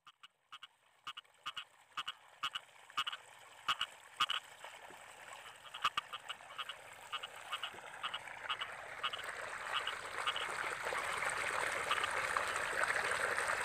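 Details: Frogs in rice fields during the rainy season, giving short clicky croaks repeated roughly twice a second, the pulses blurring into a dense continuous chorus that swells louder toward the end.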